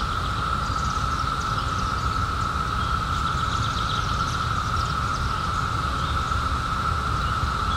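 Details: Cicadas emerged in 2021 after a 17-year underground hiding, their summer chorus forming a steady, unbroken mid-pitched drone over a low rumble of background noise, with faint high chirps flickering above.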